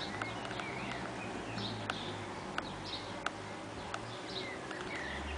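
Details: Saxon wasps (Dolichovespula saxonica) at their nest inside a nest box on 30 June 2010, in heat, with workers having perforated the nest envelope for air circulation. A low humming buzz rises and fades in bursts, with birds twittering and sharp clicks around it.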